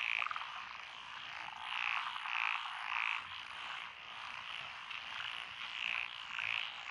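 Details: Lotus rice paddies in Echizen, Fukui, Japan, 12 June 2021, alive with calling frogs; a steady croaking chorus underlies spaced loud chirping notes from a nearer frog, repeated roughly every half to one second.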